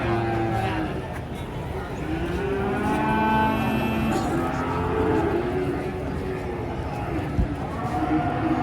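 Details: Agitated cattle being unloaded from a truck give long, deep, harmonic moos that swell and fade over several seconds, layered with overlapping lowing, crowd murmur and faint background music.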